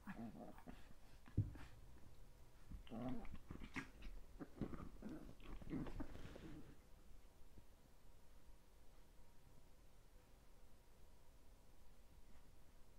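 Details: Indoor recording of 13-week-old Chihuahua puppies, including Cola: a run of soft grunting growls and huffs over roughly the first seven seconds, then near silence with faint room hiss.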